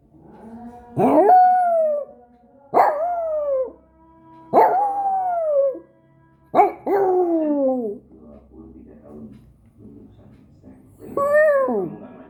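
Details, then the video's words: Markku, a pet dog, howling in a series of five wailing calls, each swooping up sharply then sliding slowly down, separated by pauses with soft snuffling and small background noises. "Cute Dog (Markku) is howling"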